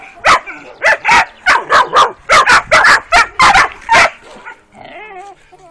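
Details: Working-type Kuvasz puppies aged 12 weeks on their first walk in the street: a steady series of high, sharp barks a little more than once per second, fading into a wavering whine.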